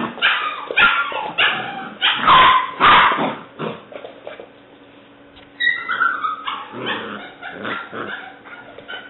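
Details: Female English Springer Spaniel puppy aged seven weeks, black/white tri-colour, dated 5/17/09: loud, harsh barks in a cluster early on, then after a brief lull, thinner squealing yips with rising and falling tones.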